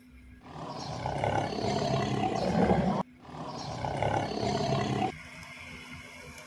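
A tiger gives two long, rumbling roars, each cut off abruptly, over a faint steady hum.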